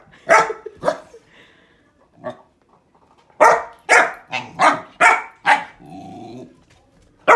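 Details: A puppy named Hollie barking at a grapefruit indoors: two sharp barks, a low grumble, then a quick run of five loud barks, a soft growl and a final bark.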